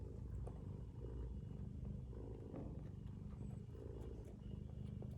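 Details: Low, buzzing snore from a mother domestic cat sleeping with her kittens, an unbroken rapid pulsing drone at even loudness, with faint brief high tones over it.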